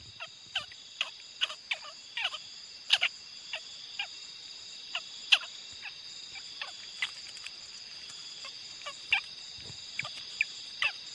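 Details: Young squirrel calling: sharp, very short clicking chips repeated irregularly about twice a second, a few louder than the rest, over a steady high whine in the background.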